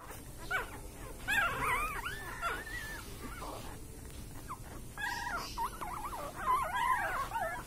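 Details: Sleeping puppies dreaming, giving soft high whimpers and squeaky yips in scattered bursts, some rising and falling in pitch, with quiet gaps between and faint background hiss.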